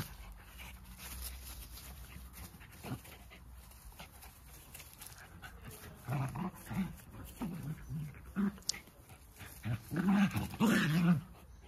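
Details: Playful wrestling between two Jack Russell Terrier dogs: low rumbling growls come in short, uneven bursts during the second half, with some scuffling between them.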